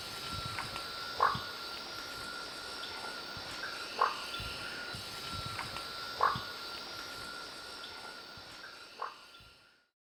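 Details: A marsupial treefrog (Gastrotheca recava) gives short, sharp knocking notes every two to three seconds over a steady insect drone.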